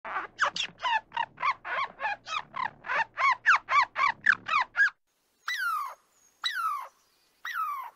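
A squirrel gives a fast run of harsh, chirpy barks, then three drawn-out, falling whines.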